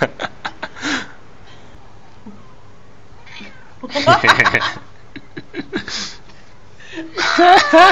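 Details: Cats fighting, with short sharp sounds, a burst of harsh wavering yowls midway, and a loud strained wail at the end; people talking and laughing in between.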